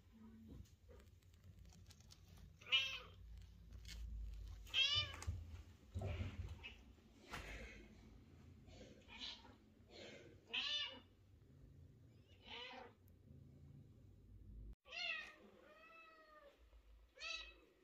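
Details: Sociable mother cat meowing and talking with her cute kitten and owner: repeated arched, tonal meows every second or two, some brief and chirpy, others longer and bending, over a low indoor hum.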